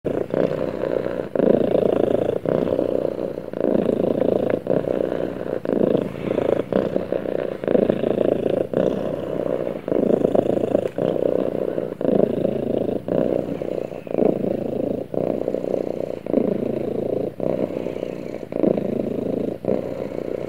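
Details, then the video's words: Domestic cat snuggling with its owner, purring steadily: a low, continuous rumble that swells and dips with each breath, roughly every second or two, over about twenty seconds with no other clear sounds. "Cute Cat Snuggles With Owner And Purrs"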